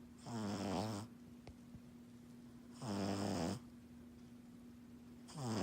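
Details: Betsy Bea, a pug puppy napping after a busy morning, lets out harsh buzzing snores about every two and a half seconds, each lasting under a second, with quiet gaps and a steady background hum.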